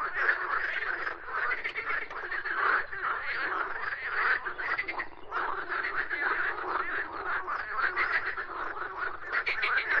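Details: A frog singing: dense, continuous rattling croaks in rapid pulses, fairly high-pitched and steady, running without a break for the whole stretch with only slight dips in loudness.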